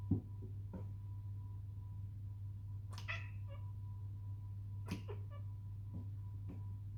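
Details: Indoor domestic cat making hunting noises while watching birds: a few brief chirps and short chattering bursts spaced seconds apart, with a steady low electrical hum throughout and soft clicks.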